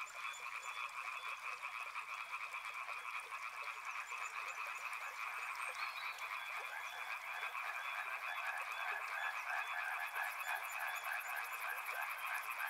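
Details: Dense chorus of frogs by a river, an unbroken churning rattle of quick croaks at mid pitch, steady from start to finish, with a faint, high, rapid pulsing appearing over the final few seconds.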